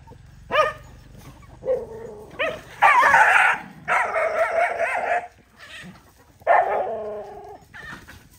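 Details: Dogs eating rice and playing with food make a run of barks, some drawn out into longer yelping, whining cries with wavering harmonics, the sounds separated by short pauses.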